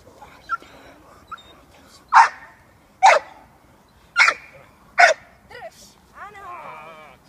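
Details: Female American Staffordshire Terrier puppy, six months old, barking in protection training. Four strong, spaced barks land about a second apart, then a soft whining tail. Faint human voices sit in the background.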